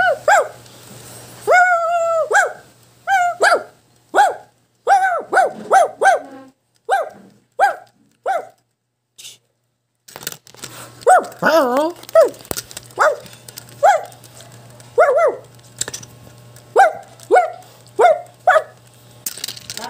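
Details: A Shih Tzu barks in a long run of rapid, high yaps, joined by a second dog, Hichang, who growls and howls. Around the middle comes a wavering, drawn-out cry, with a constant low hum beneath the barking throughout.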